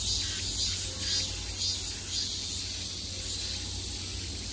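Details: Summer cicadas buzzing on every side, a shrill wall of sound with several pulsing surges close together in the first half before it settles into a steady drone, with a low hum beneath.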